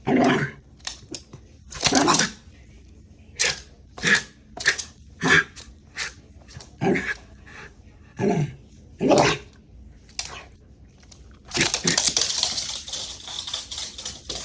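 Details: Haru, a worked-up Shiba Inu running wild indoors, lets out sharp, breathy barks and grumbling snorts in quick irregular bursts, then a long rough hissing scuffle near the end.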